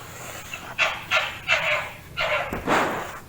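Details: Fox giving harsh, raspy broadband calls, five in quick succession, each about a third of a second long, over a low background hum.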